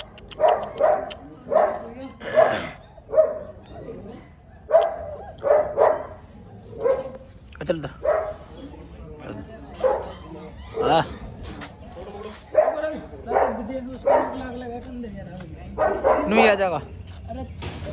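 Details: A kennel in India, where a German Shepherd puppy keeps up steady high yapping barks for the whole stretch, roughly one or two each second, with a few squeakier cries and low voices murmuring underneath.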